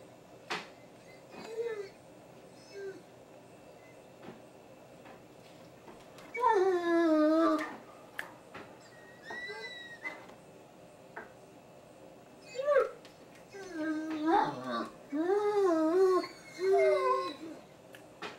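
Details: Deaf Great Danes 'talking' in drawn-out, wavering whines and moans that bend up and down in pitch.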